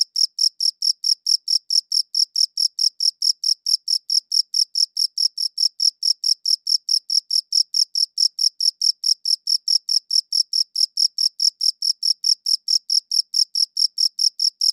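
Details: Steady cricket chirping from a high-quality recording, bright shrill pulses following one another about four per second without a break, the only sound present.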